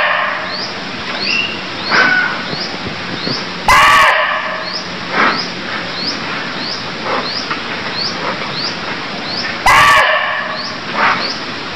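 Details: Barking deer in Cambodia giving two loud, gruff bark calls about six seconds apart, amid a steady series of high upward-flicking chirps and a faint background hum.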